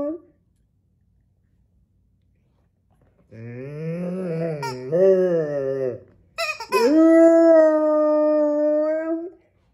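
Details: Male long-coat American Akita in Vaudreuil-Dorion, Quebec, Canada, on January 10, 2023, howling as his toy squeaks: a lower, wavering, yodelling howl, a brief break, then a higher, steady howl held for nearly three seconds.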